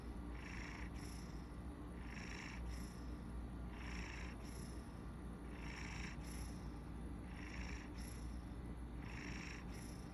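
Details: Maine Coon napping indoors, purring the entire time while snoring; a continuous low, rumbling purr with a breathy, hissing snore swelling roughly every two seconds in a steady rhythm.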